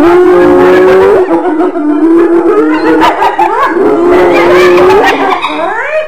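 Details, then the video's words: Hyenas giving overlapping drawn-out moaning tones that dip and rise, mixed with rough chattering, continuous throughout and ending on a rising note. "Suara HYENA"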